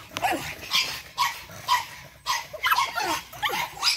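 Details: Eight-week-old Boston Terrier puppies from one energetic litter, giving short, sharp high yips and barks in irregular bursts about every half second, with scuffling noise between calls.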